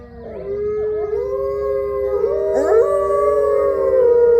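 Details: Gray wolves, captive-born ambassadors at Wolf Hollow, starting a pack howl: a single long tone swells and rises gently, then more voices slide in above it, building to a loud, sustained, layered chorus.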